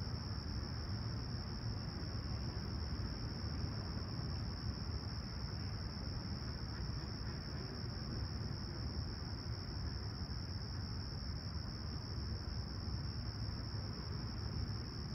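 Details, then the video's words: Chirping crickets on a calm, clear Toronto summer morning at Humber Bay Shores, sunrise on July 28, 2020, 20ºC outside: a continuous high, even ringing tone that never pauses, layered over a constant deep rumble of traffic. "Serene Summer Toronto Morning With Chirping Crickets"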